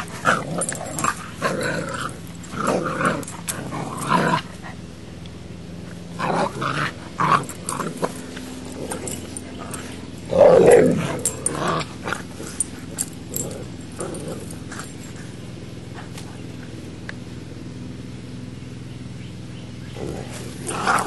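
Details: A Boxer puppy named Max confronting a female English Mastiff called Baby. Rough, throaty growls and yips arrive in uneven bursts, the loudest around the middle, with quieter gaps and faint room noise between them.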